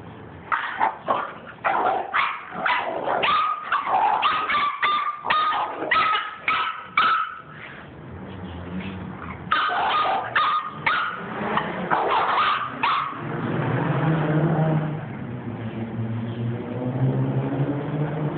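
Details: Pit bull and toy fox terrier at tug of war; sharp, rapid barks and yips repeat about twice a second for thirteen seconds, some with a whining tone, then fade into low rumbling growls.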